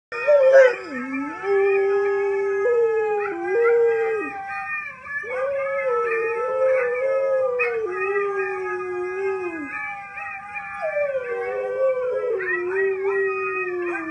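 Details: A husky howls in a duet, giving long, wavering howls that rise and fall in pitch with brief breaks between.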